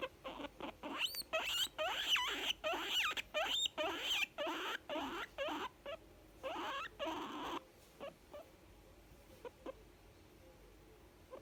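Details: A young female guinea pig voices contentment with a rapid series of squeaky bursts, some rising into high thin whistles, about two per second, then trailing off into sparse soft clicks.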